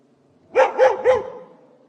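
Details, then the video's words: Three quick, punchy barks from a dog, evenly spaced in under a second, professionally recorded in a quiet setting with no background sound. "Dog Barking sound effect"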